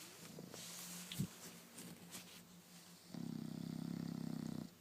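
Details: Sofia the bulldog sleeps, with soft breaths and a small snuffle, then one steady, low, vibrating snore over the final second and a half.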